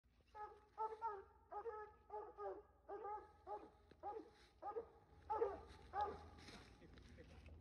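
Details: Hunting dogs after raccoons outdoors, baying in drawn-out harmonic bawls roughly every half second, a steady run of rising-and-falling howled barks with low rumble beneath.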